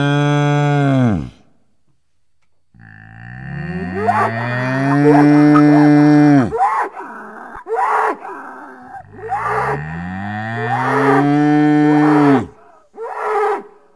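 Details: Bull in nature giving a series of long, deep moos, each a loud sustained bellow of several seconds that bends slightly in pitch, separated by short pauses and softer grunting breaths.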